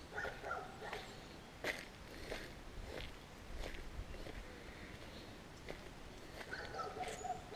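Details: Annoying dog barking as walkers leave a village before a big climb, captured with a GoPro Hero; repeated muffled barks about every second, some doubled, mixed with crunching footsteps and low rural background noise.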